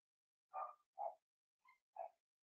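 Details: Young Cavalier King Charles Spaniel puppies, Blenheim litter, in a home puppy pen: four short high yelping barks spaced about half a second apart, the third thin and whiny, in a quiet room.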